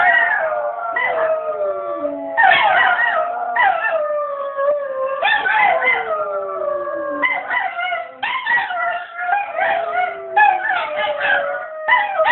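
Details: Howling dogs in a sustained group chorus: many long, quavering tones overlap and bend up and down, with new howls starting every second or two, keeping the wailing continuous throughout.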